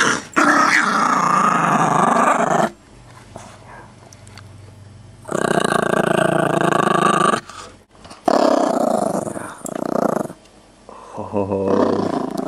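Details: A Chihuahua mix growls while guarding a bone, putting on a tough act though friendly; sustained harsh growls last several seconds each, separated by quieter gaps, with low room hum beneath.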